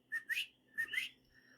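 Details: A coquí frog in the San Germán area of Puerto Rico, on May 27, 2023, after heavy rain, gives its two-note co-QUÍ call, a short whistle followed by a higher rising note.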